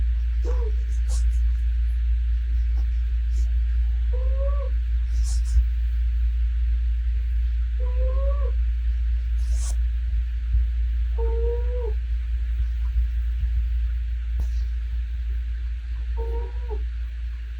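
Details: Sleeping domestic cat snoring: short whistled two-tone nasal notes, slightly rising, recur about every four seconds with each breath over a steady low hum, plus a few faint clicks.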